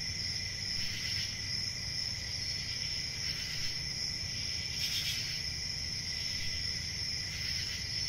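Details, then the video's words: Crickets trilling steadily at high pitch, with louder chirp bursts recurring roughly every one to two seconds over a low background rumble. "Cricket Sounds"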